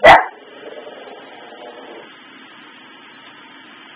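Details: Pet dog indoors barking at Christmas tree lights flicking on and off, the tree on a sensor stuck in an on/off loop; one sharp, loud bark at the start fades into a soft ringing tail, then quiet.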